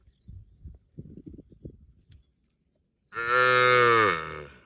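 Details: Cows mooing in a park: soft low thumping sounds for about two seconds, a pause, then one loud drawn-out harmonic moo lasting over a second, slightly rising then falling at the end.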